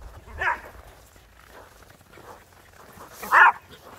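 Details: Border Collie and Jack Russell Terrier playing chase in the snow; two loud, sharp barks about three seconds apart, with faint softer yelps between them.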